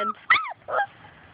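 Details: Labrador Retriever puppies from Grace and Sam's litter playing outside and chasing their mother; two short high yips with sharply bending pitch, the second lower and rougher, over quiet outdoor background.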